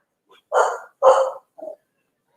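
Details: Corgis give two loud, gruff barks and a softer third as a vehicle pulls up with the owner's wife arriving home; the owner notes they sound like a much bigger dog.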